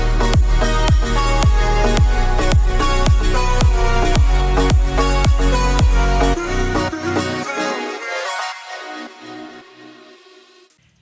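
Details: Electronic dance music with a pounding beat fades out toward the end, and no animal voices are present.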